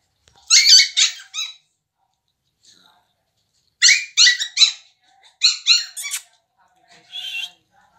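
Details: American Bully at a pet shop in the Delhi NCR area of India, giving high-pitched squeaky yelps in three short bursts of rapid harmonic squeals, with long silent gaps between and a faint final burst near the end.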